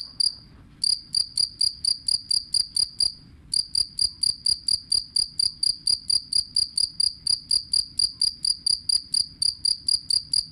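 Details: Two-spotted cricket (jangkrik kalung) chirping, offered as a tutor sound for songbirds: bright, high, ticking pulses in a fast, steady train with one brief pause near the start, over a faint low hum.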